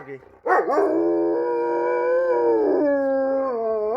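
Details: Black East European Shepherd dogs howling at police sirens: after a faint voice, a loud harmonic howl rises sharply, then holds a long, slightly wavering tone with a second dog joining and an upward swoop at the end.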